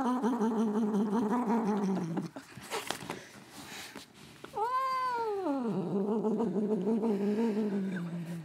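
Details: Domestic cat Katherine having her ears rubbed gives strange drawn-out wavering yowls, a long trembling low moan, a short break with rustling, then an arching rising-and-falling cry sliding into another long warbling moan.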